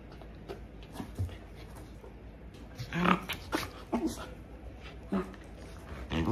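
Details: Pet Corgi indoors at home during its daily routine while its owner works from home; low rumbling growls and short whiny notes rise and fall over a constant room noise.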